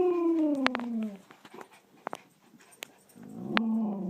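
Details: A household dog howling, or "singing", on command: a drawn-out howl slides downward for about a second, and after quiet clicks a second, softer howl rises near the end.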